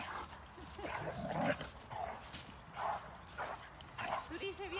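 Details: Playing Rhodesian Ridgebacks at Châtel Guyon, 2021, relaxing after the breed's Nationale d'élevage: short yipping barks in scattered bursts, plus a short wavering whine near the end, over steady Spanish conversation.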